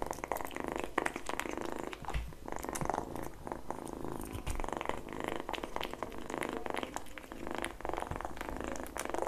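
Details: Kitten eating egg yolk indoors: steady wet licking and smacking clicks, soft crunches and a low purr-like rumble running throughout.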